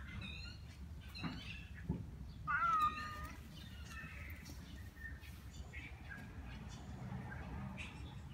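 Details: Tabby cat in a feral cat colony meowing angrily at other cats: one loud, drawn-out harmonic meow that bends downward in the middle of the clip, with fainter short mews earlier and a steady low rumble of outdoor background noise.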